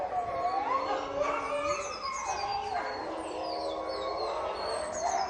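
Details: Caged wolf pack howling and fighting: several overlapping wavering howls, some rising and falling in pitch, with higher thin cries layered above, continuous chorus throughout.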